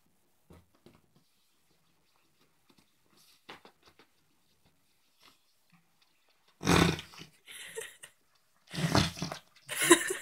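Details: Pet Yorkshire terrier named Ronnie playing with his pillow indoors, trying to destroy his dog bed; after near silence, two loud, rough, noisy snorting bursts about two seconds apart, the second split into quick puffs.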